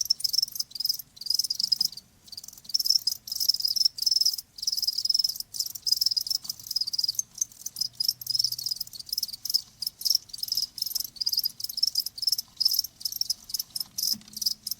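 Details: Crickets chirping in a dense, high-pitched pulsed trill that runs almost without pause, broken by brief gaps into rapid bursts; a faint low hum sits beneath, with no other animals or voices.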